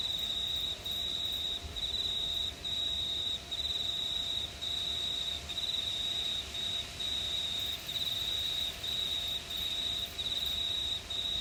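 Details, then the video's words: High, continuous cricket trill recorded on a summer night in a quiet New South Wales town, Australia, pulsing in bursts of about a second separated by tiny breaks, a fainter overtone higher up, no other clear sounds. "Pure Cricket Sounds at Night"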